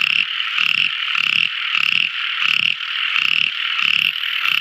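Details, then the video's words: Nocturnal frog song from a tiny frog: buzzy pulsed croaks repeated about every 0.6 seconds against a persistent high-pitched chorus. "Tiny Frog Crying | Never Listening So Beautiful Frog Song! At Night Time!"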